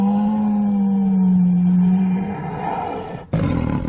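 A white Bengal tiger gives one deep, drawn-out moaning roar of about two seconds. It trails into rough, breathy rumbling and then cuts off abruptly.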